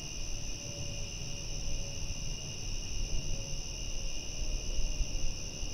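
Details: Crickets calling at night give a dense, unchanging high trill that runs without a break, while a heavier low rumble swells and fades beneath it.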